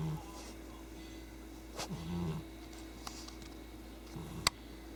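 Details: Loud snoring from a sleeping cat in a quiet indoor room. Low, throaty breaths come roughly every two seconds. A faint tap and a sharp click are also heard, over a constant low hum.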